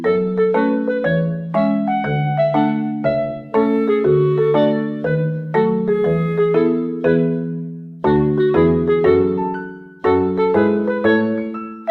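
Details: Piano music with steady repeated chords and melody notes, with no animal sound heard.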